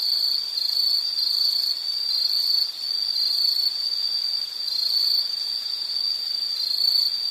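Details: Insect sound from nature ambience: a shrill, unbroken trill at a fixed high pitch, briefly dipping in volume near the middle, with a faint upper harmonic running alongside.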